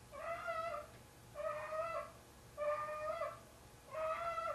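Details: Nighttime calls from Tigger, a large domestic cat carrying socks he adopted as a kitten to bed: four long, mournful, slightly rising meows, each close to a second, spaced evenly with short pauses in a quiet house.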